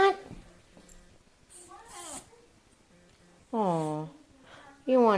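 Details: Jack Russell Terrier Roscoe sitting and vocalizing at his owner to ask for something he wants: a brief sweeping whine, then two loud harmonic yowls, one sustained about half a second, another cut off at the end.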